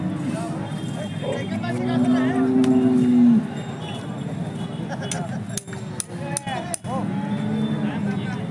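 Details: Holstein Friesian cow at the Peth Vadgaon cattle market in Maharashtra, India: one steady low moo lasting just over a second, set amid crowd chatter, traders bargaining, clinks and background music.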